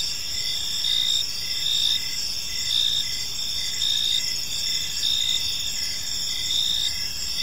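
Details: Gentle evening chorus of crickets in a park: high, dense trilling with rhythmic chirps recurring roughly every second, layered voices and no birds or people audible.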